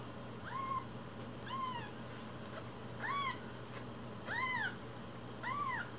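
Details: Rescued one-week-old foster kittens with umbilical cords still attached: thin, high arched mews repeated about once a second, five clear cries over a low steady indoor hum.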